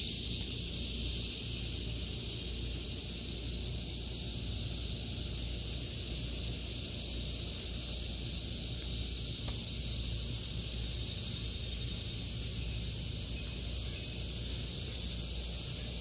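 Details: August 2023 garden cicadas: a long, steady high whirring drone that swells slightly in the early seconds and stays continuous, with quiet low background noise.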